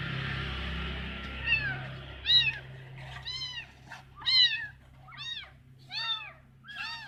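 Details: Abandoned kitten rescued from bushes, meowing repeatedly in high, arched mews roughly every second, over a low steady hum and background hiss.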